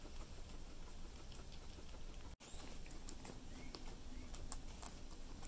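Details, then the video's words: Guinea pig feeding on cilantro, crunchy clicks at first sparse then quicker and louder after a brief gap, over low background hum. "Guinea Pig Cilantro"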